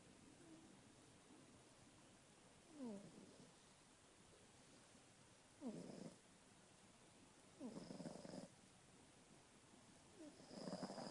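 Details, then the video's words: Tiny kitty Lucy snoring loudly at around 3 am, a snore taken as a sign of kidney disease and feline respiratory problems. Raspy bursts with a rising sweep repeat every two to three seconds over steady background hiss. "Tiny Kitty Snores Like a Lion"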